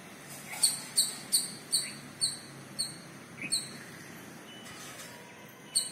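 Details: Squirrel calling its partner: a series of sharp, high, chirping squeaks, about two per second for three seconds, then scattered ones after a pause, over a soft background hiss.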